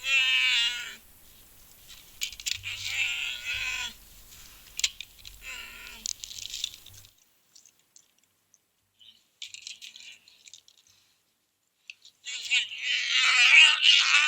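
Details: American black bear family at night near Blanton Ridge, Eugene, Oregon, February 2026, caught on a trail camera. A mother and cubs struggle with a seed feeder, and the cubs throw tantrums. Loud, wavering, harmonic squalls in bursts of one to two seconds, with gaps of near silence.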